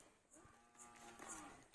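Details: Hallikar bull calf, 14 months old, lowing; one steady low moo with a long harmonic stack lasting most of the clip, recorded faintly indoors with a brief word spoken just before.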